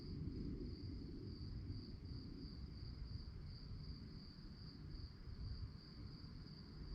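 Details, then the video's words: Crickets at night: a steady, high, faintly pulsing trill runs unbroken through the whole stretch above a constant low rumble. "relaxing sounds of crickets"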